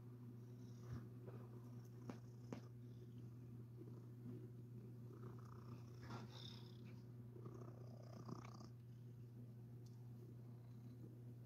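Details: Domestic cat purring while its very soft, fluffy belly is rubbed indoors: a steady low rumbling drone throughout, with soft rustling of fur and a few quiet words spoken nearby.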